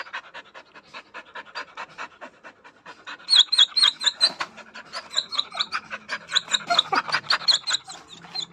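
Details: Whining dog reacting to a sudden change to an unfamiliar environment: fast rhythmic panting-like pulses grow louder midway, with sharp high squeaks riding on many breaths. The sound is continuous and restless.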